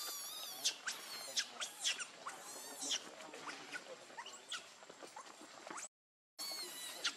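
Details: Hungry baby monkey Lucie begging for milk, giving rapid piercing squeals and wavering high cries in quick bursts, several per second, with a brief silent gap near the end.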